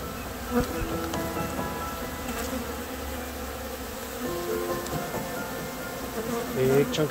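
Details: Honey bee colony of roughly 15,000 bees, two years established inside a rotting wine barrel in a backyard, being removed; continuous low droning hum with shifting tonal layers and a few soft knocks and handling noises.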